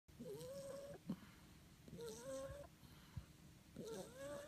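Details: French Bulldog puppy snoring: whistled nasal tones rising and levelling off in pitch, each held under a second, repeating with each breath about every two seconds over low rumbling breath noise and soft clicks.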